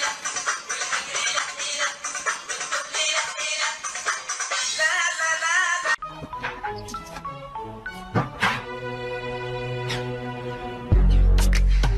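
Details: Upbeat music with synthetic singing plays throughout, changing style halfway with sharp plucked notes and a loud burst at the end; no animal sound is heard.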